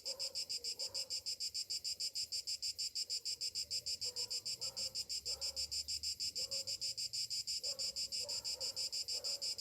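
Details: Cicadas on a summer morning keep up a high, shrill, rapidly pulsing drone that never lets up.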